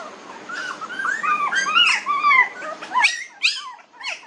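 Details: Puppies 19 days old give thin, squeaky whines that arch up and down, several overlapping in quick succession, growing sharper and more broken near the end over a quiet indoor background.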